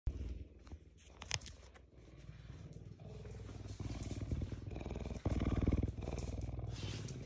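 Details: Ceaser, a cougar (puma) kept as a pet by a human family, purrs with a low, continuous, rapidly pulsing rumble. Scattered clicks and handling noises are heard, and the rumble grows louder after about five seconds.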